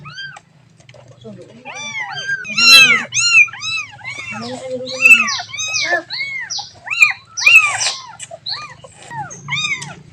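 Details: Kitten calling its mother: a rapid series of short, arched, rising-then-falling meows, some overlapping, with a low background hum throughout.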